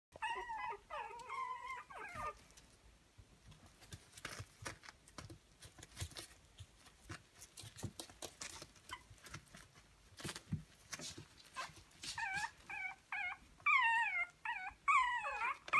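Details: Pomeranian (Zwergspitz) puppies from a Swiss breeder, indoors: high, wavering squeaky whines open the recording, then a quieter stretch of clicks and rustling, before bursts of rising and falling whimpers return near the end.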